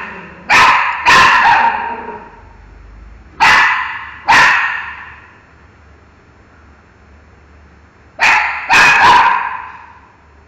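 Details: Miki the dog, barking at a mango, gives three bursts of doubled barks, each pair loud and harsh with ringing overtones, separated by quieter gaps of two to four seconds.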